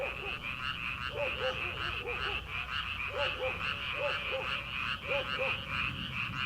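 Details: Many frogs croaking in a rice paddy at the start of summer, before rice planting: continuous buzzy pulsing chorus with clusters of lower, bubbling croaks given in pairs and trios throughout.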